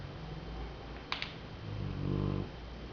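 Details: A sleeping Golden Retriever gives a low, buzzy snore, one rough rumbling breath that swells then fades, after two brief clicks, over a quiet indoor background.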